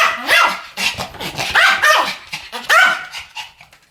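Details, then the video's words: Pomeranians barking together in a duet, loud sharp yaps with a rising then falling tone, several quick barks followed by a final pair. "ポメラニアン Pomeranian デュエット吠え 1000回 犬の鳴き声"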